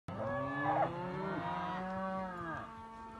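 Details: Simmental calf giving one long, steady moo of about two and a half seconds, deep and richly harmonic, holding an even pitch before trailing off, with faint background noise.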